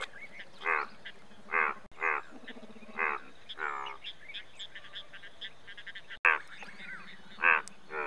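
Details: Indian bullfrog producing scattered loud rasping croaks separated by pauses, set against a low continuous frog drone and faint high chirping.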